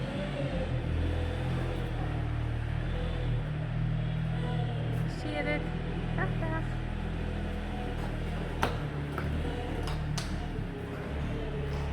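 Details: Deep rumbling machinery-like hum fills the scene, with faint fragments of human voices and a couple of sharp knocks, but no animal call.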